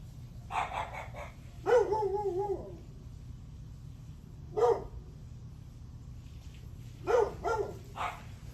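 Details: Dog barking on a July 9 morning at 8:38 am: short sharp barks in loose clusters, one drawn-out bark near two seconds, about five bursts in all, over a steady low hum.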